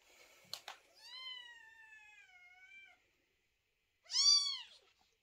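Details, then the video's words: A loud newborn kitten cries: a long, thin meow drifting slowly downward for nearly two seconds, then a short, sharp arched meow after a pause, with brief rustling taps at the start. "котенок громко мяукает и кричит по ночам"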